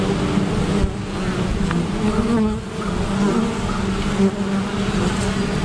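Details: Honey bees defending against a great black wasp, at an apiary: a dense, steady, low droning buzz of many wings with wavering pitch, a brief dip in loudness midway, no other clear sounds.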